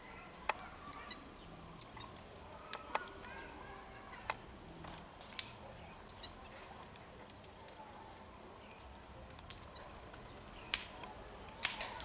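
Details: Marmosets in Juiz de Fora, Minas Gerais, Brazil: sharp, high clicking calls scattered through the recording, then thin, drawn-out high whistles near the end, over a soft hiss of background noise.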